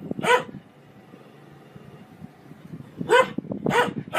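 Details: {'caption': 'Domestic dog barking: one sharp bark, a quiet pause of over two seconds, then three more barks in quick succession, each short and harmonic-rich over a low background hum.'}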